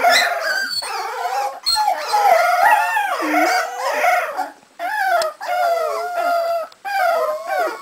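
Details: Cardigan Welsh Corgi puppies about 3.5 weeks old, from a litter born in November 2008 at a Swedish kennel, howl together in high, wavering, overlapping voices.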